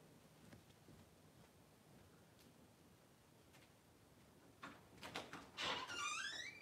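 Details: Cavalier King Charles Spaniel named Daisy during whelping, delivering six puppies in two hours indoors; quiet room with soft rustles and clicks, then a high, thin squealing whine with bright overtones that dips and rises near the end.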